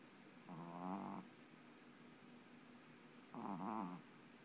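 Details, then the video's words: Boston Terrier puppy snoring while falling asleep indoors: two low rattling snores, each about three-quarters of a second long, separated by a quiet pause of roughly two seconds. "Boston Terrier Falling Asleep and Snoring"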